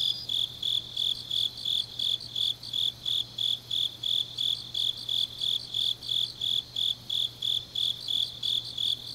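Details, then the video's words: On an autumn night in Changnyeong, Korea, grass insects give steady shrill chirps, about three per second, evenly spaced and bright, with a fainter trilling insect above and a low constant hum. "깊은밤 가을 풀벌레 소리"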